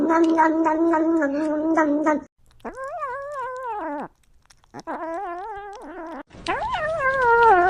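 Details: Domestic cat vocalizing while eating: a rough, pulsing moan, then after a pause several separate drawn-out mewing calls that waver and bend in pitch, the last rising and sliding down loudly.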